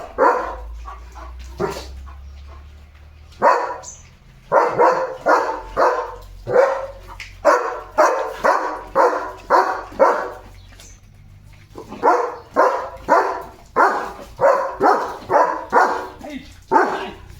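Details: Leo, a German Shepherd, barking non-stop at the gate like a guard dog, alerting that animals are passing outside; a long series of loud, full barks, about two per second, with brief pauses between bursts.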